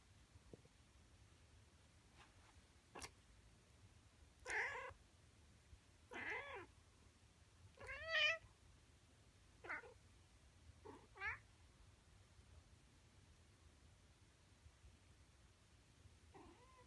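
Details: A male Siamese cat meowing in the morning indoors: short harmonic meows, some rising and falling, spaced every one to two seconds with quieter gaps, against a faint low hum.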